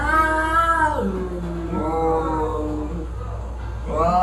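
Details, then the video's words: Caterwauling during a cat fight: long, wavering yowls sink low, then climb and bend again, with a sharp rising howl at the end. "Cat Fight with horrible sound"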